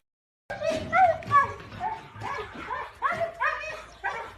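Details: Siberian husky puppies giving a run of short, high, whimpering yips, each bending up and then down, about two or three per second, clear over a quiet background.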